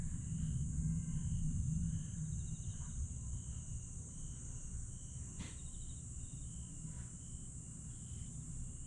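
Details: Grass insects at night in Aewol, Jeju, 22 July 2022: a high continuous shrill tone with quick chirps repeating roughly three or four per second, a sharp click midway, and a loud low rumble underneath.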